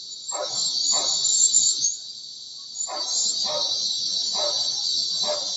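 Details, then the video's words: Cicadas, locally called kuliglig in Tagalog, heard from a bedroom window: a steady, high, hissing buzz with a brief lull near the middle. Dogs bark in pairs of short, gruff barks throughout. "SCARY SOUND OF CICADAS OR KULIGLIG"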